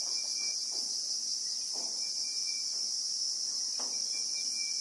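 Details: Christmas beetle (Anoplognathus) in South African bushveld with acacia trees, recorded in real time: a dense, unbroken high buzzing drone that holds steady throughout, with a faint thin whistled tone wavering beneath and soft low rustles.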